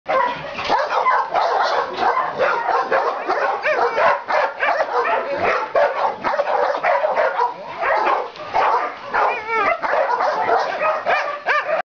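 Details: Several female dogs, two to four years old, that have found new owners; dense overlapping high yaps, yips and barks pour out nonstop in an excited chorus for the whole stretch.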